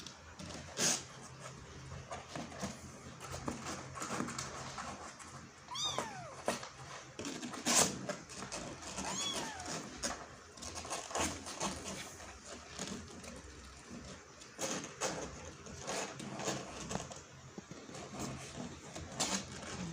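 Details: Kitten trying to climb out of a hole, giving a few short, thin meows that rise and fall in pitch, mostly in the middle stretch, over constant scratching, rustling and sharp clicking noises.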